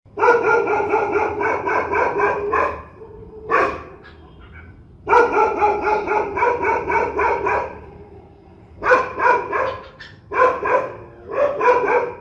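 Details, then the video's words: Angry, fierce dogs barking: rapid runs of harsh barks, about four per second, in bursts of two to three seconds separated by short pauses and a single lone bark. "صوت نباح الكلاب الشرسة"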